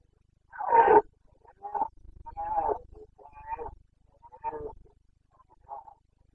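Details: Rutting Carpathian red deer stag, the boncănit of the Bucovina mountains, September 2022 breeding season: one loud, rasping bellow followed by a run of shorter, gruff, throaty grunts that fade in strength.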